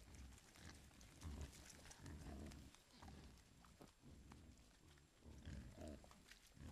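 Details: A herd of wild boar with piglets forages in Foreste Casentinesi National Park, Italy, caught on a trail camera: low, rough grunting bursts with rustling and snuffling close by.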